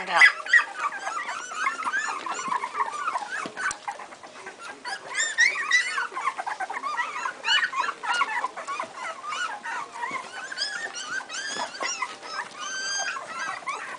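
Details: Two-week-old Strongbow puppies crying together: shrill squeals and whines in dense overlapping bursts, some louder yelps at the start, continuing without pause through the recording.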